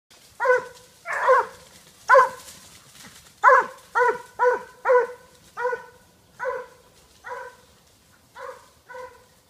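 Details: A Petit Bleu de Gascogne hound out hunting, trailing a wild boar, bays in ringing, tonal barks repeated at an uneven pace.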